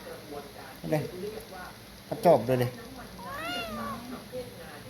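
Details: Kitten lying on a person's chest, sucking a finger and crying as if trying to nurse; a soft, brief rising-falling meow near the end, with muffled human speech and handling noises earlier.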